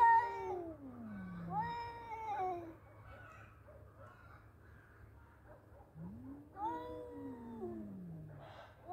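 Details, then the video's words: Fighting male cats give quieter, falling moans and a wavering yowl, with a long lull of soft murmuring sounds in the middle, over a low background hum. "Battle of Two Cute Male Cats .(Cat Voice)."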